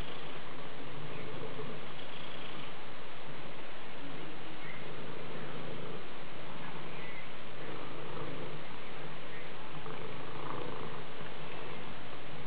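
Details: Domestic Maine Coon purring in long continuous waves of low rumble, with soft pulsing swells and a little faint background noise.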